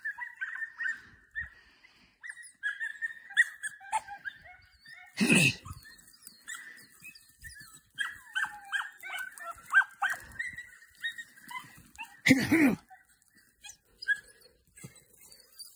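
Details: Young Podenco hunting dogs from the Perjuicillos pack, out for training, give bursts of high-pitched yelps and short barks in uneven runs, interrupted by two loud thumping knocks, with quiet gaps between the bouts.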